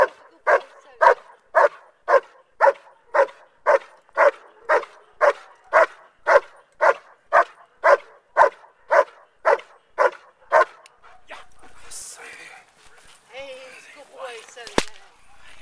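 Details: German Shepherd named Soze, a male in bark and hold training for his SchH I trial, barking steadily at a handler's helper: about nineteen loud, even barks roughly every half second, then the barking stops and only faint noises and a sharp click remain.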